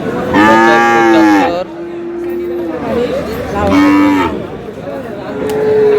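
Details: Friesian and cross-breed bull calves at Aftabganj cattle market in Dinajpur: two loud, drawn-out tonal moos, each about a second long and steady in pitch, separated by a quieter lowing tone, with market crowd noise behind.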